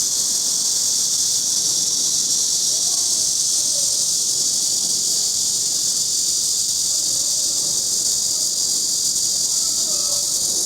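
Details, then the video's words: A cicada drones without pause, a dense, shrill, even buzz filling the whole recording. Faint low voices murmur underneath. "맴맴맴 우는 매미"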